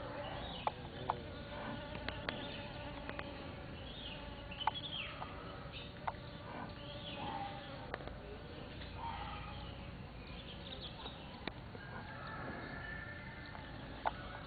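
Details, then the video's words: Bees visiting Mimosa pudica flowers, recorded 7 March 2014; a soft, wavering buzz of wingbeats rising and fading as insects come and go, with faint clicks and a steady low background hiss. "Bees at Mimosa Pudica"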